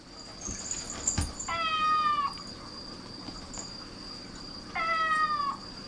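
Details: Domestic cats gathering at the sound of a cat's meowing. Two drawn-out, tonal meows, each level then slightly falling, about three seconds apart. A steady high electrical whine and faint background hiss run throughout.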